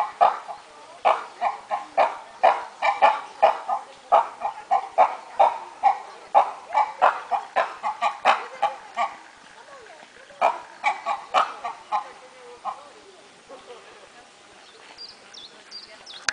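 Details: Zoo monkeys in Opole keep up a long, rhythmic series of short barks, roughly three per second, that tails off, restarts, then fades, leaving faint high chirps and background hum.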